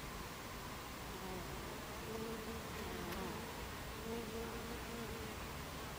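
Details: Buckfast honeybees at the hive entrance on 26 July 2013 at 14:30; two low droning buzzes of passing bees swell and fade over a steady, hissing hum of the colony.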